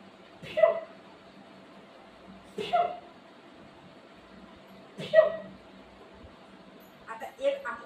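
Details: Golden Retriever playing with its owner at home, giving four short, sharp yips spaced roughly two and a half seconds apart, each bursting loudly then dropping away quickly, over a steady low background hum.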